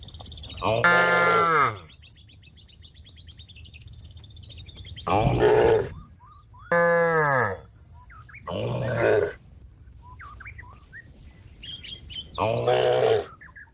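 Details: Cattle lowing to call companions home to the pen: five deep, loud moos, each about half a second to a second long, spaced irregularly over fourteen seconds. Birds chirp and whistle quietly between the calls.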